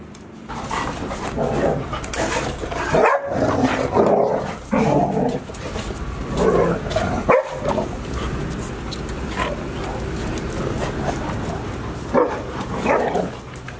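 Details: Golden Retriever puppy Chiro on its 169th day at Ain village, filmed 11 October 2018, the day Anan went home and Owl arrived in the evening; repeated bursts of yipping barks and whimpers with short pauses, some background noise.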